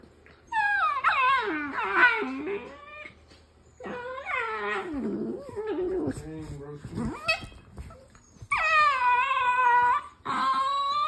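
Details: Dog making funny vocal noises: long harmonic whining howls that slide up and down in pitch, several drawn-out wavering moans with short pauses between them, and faint voices in the background.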